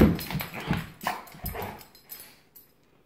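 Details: Giant Schnauzer playing with a Miniature Schnauzer; a quick run of deep, throaty growls and grunts pulses several times in a row, then fades to silence.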